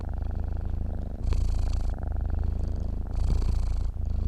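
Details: Dozing domestic cat giving a deep, even purr; rumbling vibration swells with an airy breath phase twice in a few seconds, close and steady without other sounds.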